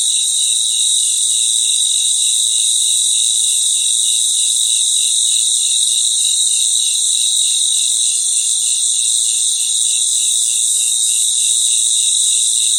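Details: Many crickets calling together at night outdoors; an unbroken piercing high buzz sits above a row of soft pulsed chirps at a little over two per second, nothing else audible.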